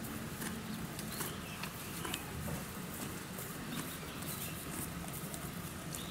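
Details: Donkey at Yuki Park Zoo in Kofu, Japan, eating; steady crunching and grinding chews make soft, irregular clicks several times a second over a constant low background rumble.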